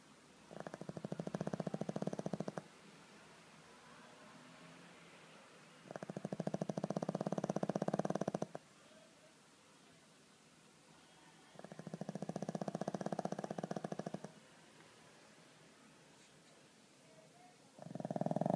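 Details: Pug named Skol asleep and snoring loudly, each long, buzzy, vibrating snore lasting about two seconds and returning roughly every five to six seconds, with near-silence between breaths.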